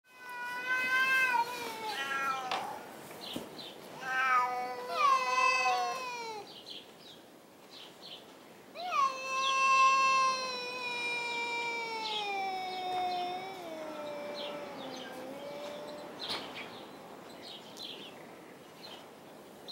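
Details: Two domestic cats, Tux and Schrödinger, in a dark hay barn, caterwaul at each other instead of fighting: long wavering yowls, rising and falling, overlapping in drawn-out harmonic wails with brief pauses.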